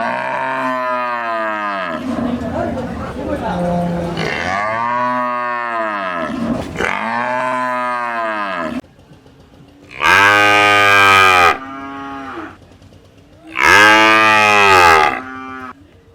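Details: Cows at a village market lowing in long harmonic moos, several overlapping calls in the first half, then two loud separate moos around ten and fourteen seconds with quiet gaps between.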